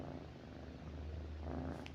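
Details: Domestic cat purring at night as it lies next to its owner, continuous low droning purr, brief soft rustle near the end.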